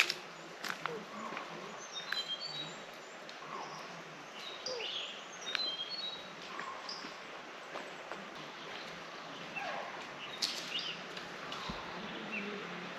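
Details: In Muthodi forest in the evening, around 4 pm, chital give frantic, sharp, high barking alarm calls again and again, likely after spotting a predator or a kill; bonnet macaques join with their own alarm calls over soft chatter.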